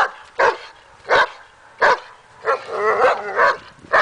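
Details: Daja, a dog working on an agitation table in training to build confidence and barking, gives sharp single barks roughly every 0.7 seconds, then a busier stretch of overlapping yelps and whines before more barks.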